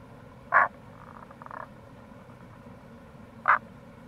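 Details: April recording of wild Rana tagoi, Tago's brown frog, near a gorge on the Kamo River, Itoshima, Fukuoka, Japan: two loud, abrupt croaks about three seconds apart, with a softer stuttering pulsed call between them over a constant low rushing hiss.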